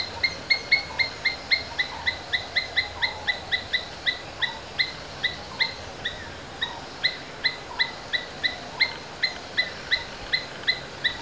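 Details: Domestic Asian palm squirrel repeating shrill, clipped chirps at a brisk steady pace, two to three a second, with softer lower notes slipping in between, over faint background noise.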